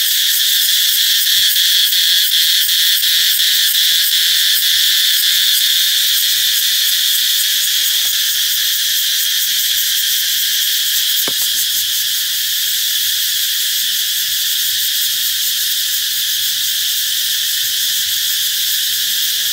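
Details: An intense, unchanging high-pitched cicada drone, heralding the coming of summer, runs throughout. A single sharp click stands out around the middle.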